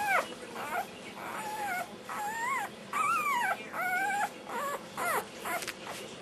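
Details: A black tri Australian Shepherd puppy, born 13 November 2008, 'sings' while eating dinner: a run of wavering, rising-and-falling yodel-like whines, each lasting about half a second, with gaps between them and faint clinking of a bowl.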